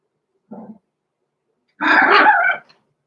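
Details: Six-week-old blenheim Cavalier King Charles Spaniel puppies, Roman and Blue, born November 14, 2022, in an indoor puppy pen; a brief soft yap, a pause, then one longer, louder, rough bark in an otherwise quiet room.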